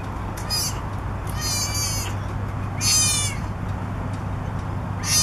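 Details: Three-week-old southern sea otter pup on the back of a boat on the dock in Monterey, California, crying for its mother; shrill, harmonic squeals with downward sweeps come in short bursts about a second apart over low steady hum.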